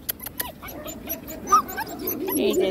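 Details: Pet German Shepherd boys, a white long-coat and a black-and-cream dog, giving a thin rising whine amid soft scuffling, with a few clicks and a person's gentle voice close by.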